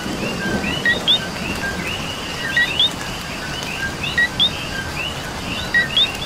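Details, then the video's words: Rainy night chorus of coqui frogs in Puerto Rico, with a near frog sounding repeated two-note co-qui calls, low then upward-sweeping, every second or so over many farther callers and falling rain. "Coqui and Rain"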